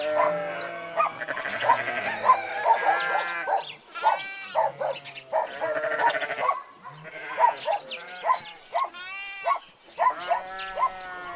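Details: Sheep, shown alongside goats, calling in a busy flock: repeated short, nasal bleats from several animals overlapping, some rising and falling, with gaps of quieter murmuring between bursts.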